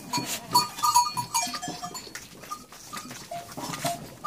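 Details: Farm goats bleating during milking of two nannies, milk later given by bottle to an orphan lamb; a quick run of nasal, quavering bleats in the first half, then sparser single calls over rustling and knocking sounds.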